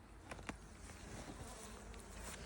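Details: Honey bee colony in a hive during a winter inspection on 30 January 2026, when solid feed was being placed: a low, steady, diffuse hum of many bees throughout, with a few faint clicks from handling near the start.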